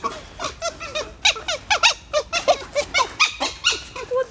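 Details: Several captive dholes (red wolves) at Novosibirsk Zoo, Russia, recorded 4 September 2017, talking among themselves: rapid bursts of short, high, bending squeaks and yelps, about two per second, irregular and chattering.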